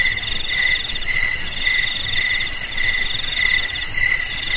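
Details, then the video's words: Short stretch of bright, ringing cricket trills, pulses blending into an unbroken high chorus with slight rhythmic swells, intended to keep rats away from houses and rice fields. "Suara JANGKRIK"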